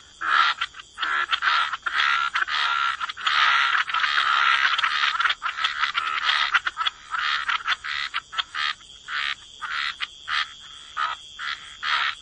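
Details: Frogs in a wetland chorus, with dense overlapping raspy croaks at first that thin out into separate short, buzzy calls repeated at an uneven pace.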